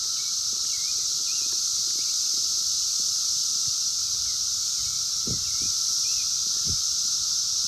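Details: Brood X periodical cicadas, the 17-year brood, emerging in the wild in 2021 and captured by phone: a continuous loud shrill wall of sound over a steady hum. Brief chirping bird notes and a few soft thumps break through.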